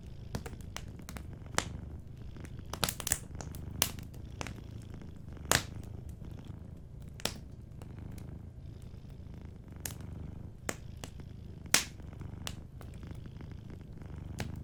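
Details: Cat sleeping near a fireplace gives a steady deep purr throughout, with irregular crackles, clusters of pops and occasional sharp snaps from the burning wood.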